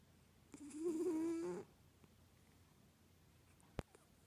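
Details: River the cat, asleep, lets out a single rough, buzzy snore lasting about a second, wavering slightly in pitch, then quiet room tone broken by one sharp click.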